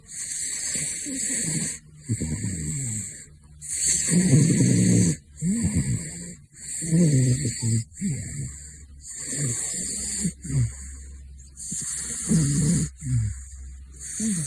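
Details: Caracal. A caracal snores steadily, each breath a deep, gravelly rumble with a wheezy edge, coming roughly every one to two seconds. A faint, steady high-pitched hiss runs underneath throughout.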